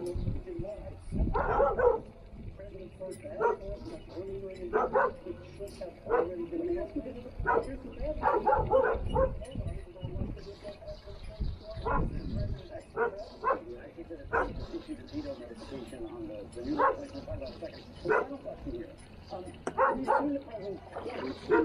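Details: Standard Poodles playing in water; sharp barks repeat irregularly throughout, in clusters of two or three, with people talking in the background.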